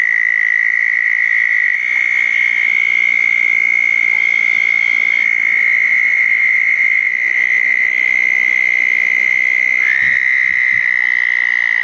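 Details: Night chorus of southern toads at small ponds following a thunderstorm, June 10, 2014. Sustained, even, high-pitched trills overlap continuously, stepping slightly up and down in pitch as one toad takes over from another.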